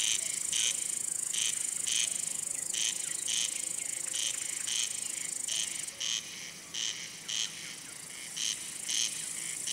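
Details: Male cricket rubbing its wings to attract females, court one, or warn off rival males; loud, evenly spaced chirps, each a short bright burst, repeating about every half second against a continuous high insect drone.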